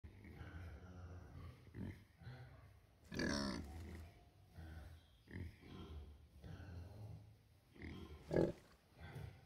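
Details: Two rescued pigs, Tabitha and Amber, asleep and snoring, trading sleep-grunts as if talking to each other. Low rumbling snores alternate with short snorting bursts, the loudest near three and eight seconds.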